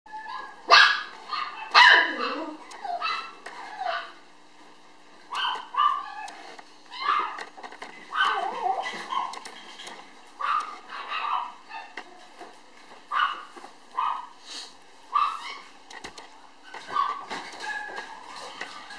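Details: Black male puppy, born 10 November and recorded 9 January 2013, gives irregular short, sharp yaps and yelps, roughly one a second, some rising then falling in pitch, with brief pauses between bursts.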